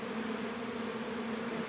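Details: Many Western honey bees from a 2022 swarm hum continuously around their hives around 1 to 3 pm. The young bees are on orientation flight, learning the hive's place. A low, even drone holds without a break.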